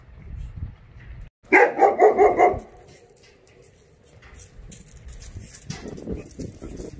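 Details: Jindo dog at a kennel on Jindo island, Korea, gives a quick run of about five loud, ringing barks within one second, followed by quieter rustling and handling noise.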